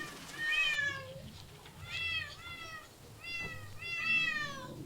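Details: Repeated meows from cats living in parks, zoos and streets: clear harmonic cries, some rising then falling, others flat, coming in bursts about a second apart over quiet low background noise.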